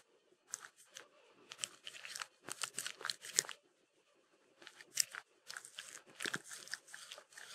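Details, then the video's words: Peanut butter licked up by Mindy the Sheltie: sharp, crisp smacks and tongue clicks. They fall in runs of rapid strokes, with a short silent gap near the middle. "ASMR Dog Eating Peanut butter (Shetland Sheepdog) Sheltie"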